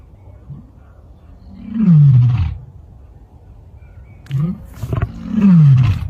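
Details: Lion at rest giving deep, descending grunting roars: a short low grunt, a long moaning roar sliding downward, a pause, then a brief grunt and another drawn-out falling roar.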